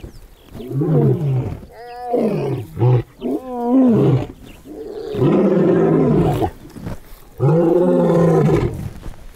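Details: Lions give deep, throaty roars that swell and fade, with moaning grunts between them; a friendly meeting between individuals with friendly grunts turned into a territorial roar.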